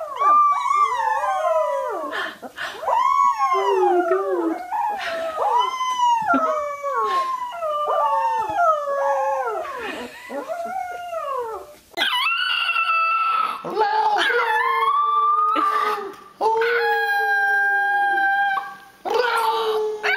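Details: Young puppy learning to howl: a run of quick arched, wavering whines bending up and down, followed by longer sustained howls held nearly level, several bursts with brief breaks between them.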